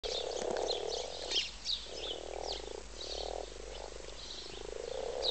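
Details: Frogs in a wildlife garden pond during mating, calling as a dense chorus: low, continuous purring croaks in long overlapping bursts about a second each, with brief higher chirps and rustles above.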